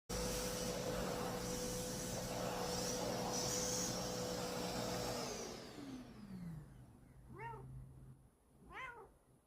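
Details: House cat after being vacuumed: a loud vacuum cleaner roars and then winds down, followed by two clear, arched meows about a second apart in the quiet.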